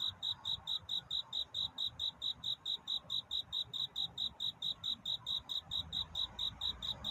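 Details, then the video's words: Cricket singing at night to find a mate: steady, clear, high-pitched chirps about twice a second, very even in rhythm, over a soft low rumble. "귀뚜라미 울음소리. 슬퍼 말아요 우는 것이 아니라 사랑을 찾는 노래랍니다 구애의 밤"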